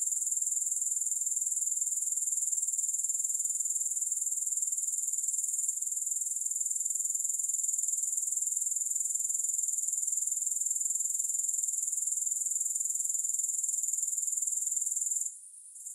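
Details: Grasshoppers keep up a sustained, piercing high trill for the whole stretch, no music, pulsing roughly four times a second, cutting out briefly at the very end.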